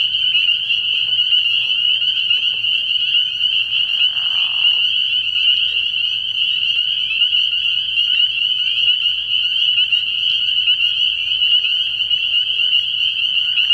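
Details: Night chorus of spring peepers at a frog pond early in the year: an unbroken wall of high, shrill peeps from many frogs, with one short lower rasping burst around four seconds in.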